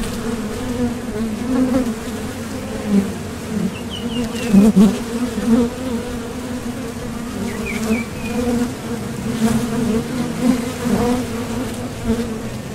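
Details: Foraging honeybees landing at and leaving the entrance of a Top Bar Hive, their wings driven by thoracic muscles; dense low hum with repeated louder fly-by swells, plus brief chirping bird phrases twice in the background.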